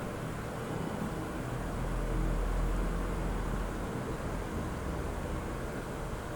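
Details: Steady low rumble of passing vehicles outdoors, with no animal voice heard.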